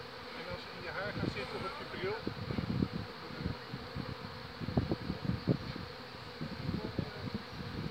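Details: Honey bee colony swarming at the Borgstichting in Haarlem on 11 May 2017. Many bees pass close to the microphone as a dense stream of short low buzzes, rising and fading several times a second over a steady background hum, with faint human voices.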